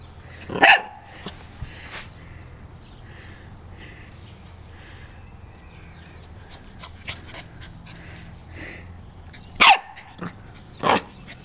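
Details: Joy, a small corgi, while running: a sharp bark near the start, then a long quiet stretch with faint scuffling, and two more loud single barks close together near the end.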